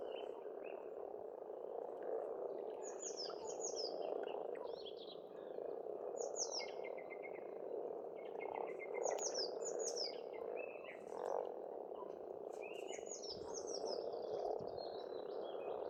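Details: Pond frogs in spring on an Estonian farmstead form a thick, constant croaking drone, while a bird sings bright, high, quick twittering phrases again and again, every second or two, throughout.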